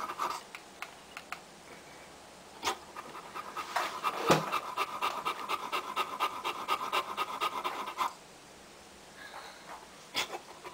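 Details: Boxer puppies from a litter of four females and three males born 02/02/10, offspring of Mell and Ty; soft rhythmic panting swelling into a steady quick run of breaths mid-clip, with quieter stretches either side.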